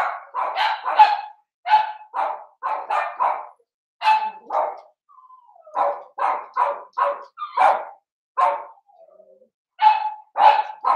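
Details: Seven-week-old Blenheim Cavalier King Charles Spaniel puppies, a litter of five in an indoor pen, yap in quick, shrill runs of barks with a few thin whines between the bursts.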